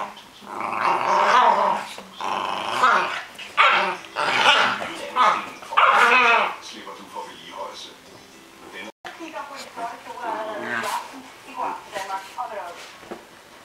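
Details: A Cairn Terrier having fun gives bursts of yappy barks and growly vocal sounds, with human voices mixed in.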